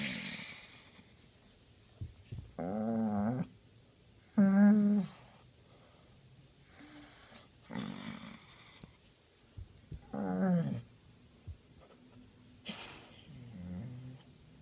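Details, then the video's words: Basset Hound named Henry enjoying a scratch in the right spot, letting out short, wavering, nasal groans and huffs at irregular intervals, some wobbling in pitch, with quiet breathing between them in a small room. "Funny Basset Hound Noises"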